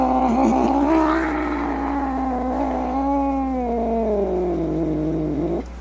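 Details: Angry cat giving a rough, throaty growling moan that rises slightly, then drifts down into a sustained low wail before stopping abruptly.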